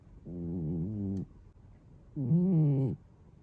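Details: Male British Shorthair cat snoring at home, recorded on an iPhone 13 on 17 July 2022: two low, drawn-out droning breaths, each about a second long, with a wavering tone and a quiet pause between them.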